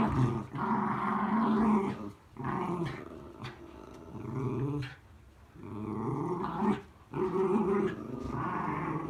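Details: A frustrated Miniature Schnauzer wrestles a mat on a rainy day, giving gravelly growls in several surges of one to two seconds, broken by pauses and soft scuffling noises.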